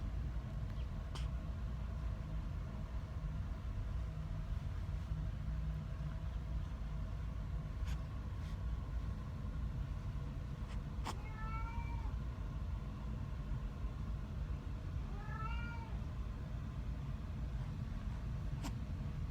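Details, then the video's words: Cat meowing twice, short rising-falling meows around eleven and fifteen seconds apart, over a loud constant low rumble like vehicle or engine noise, with a few faint clicks. "a meowing cat"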